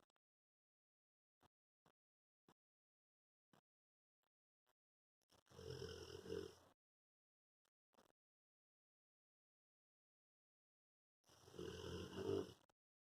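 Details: Piccolo, a five-year-old Cane Corso dog, asleep and snoring. Two long, rasping, breathy snores come about six seconds apart, each lasting over a second, with faint soft clicks in the quiet between.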